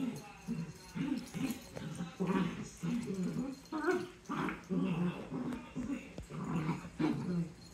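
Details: Dachshunds in a play fight, giving a steady run of low growls and snarling grumbles, each burst under a second long, with a person talking over them.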